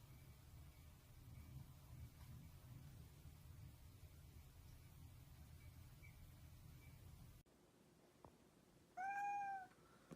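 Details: Domestic cat giving one short, clear meow near the end, a downward-arcing tone lasting about half a second, after a long stretch of steady low background hum and faint rustles.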